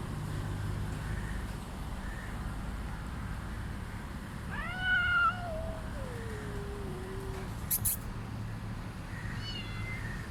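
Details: Calico cat, one of two sister cats at feeding time; a loud harmonic meow rising then sliding down into a long, drawn-out lower wail, later a short faint meow, over a steady low hum.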